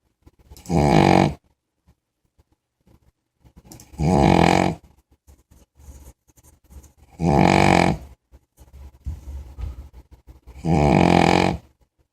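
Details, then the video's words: Big puppy sleeping indoors and snoring: four loud, rough, low rasping snores, each about a second long, arriving roughly every three seconds, with soft breathy noises and quiet snuffles in the gaps. "snoring big_puppy"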